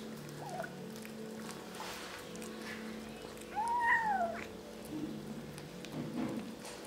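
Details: Kittens eating and calling to one another; one clear, arched meow rises then falls over about a second midway, with a few fainter short mews before and after against a constant low electrical hum.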